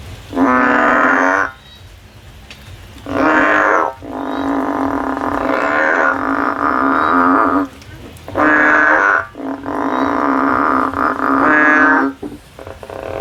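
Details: Frog climbing a tree, looking for a way out, giving loud nasal droning calls, each one to three seconds long with a buzzy, rich tone, in five bursts separated by short quiet gaps.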